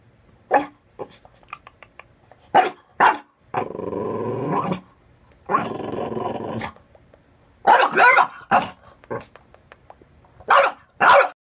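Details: Indoor French Bulldog puppy demanding that its owner get out of the bath, barking over and over: sharp single barks, two long drawn-out harsh growling bursts of about a second each, then more rapid barks in pairs.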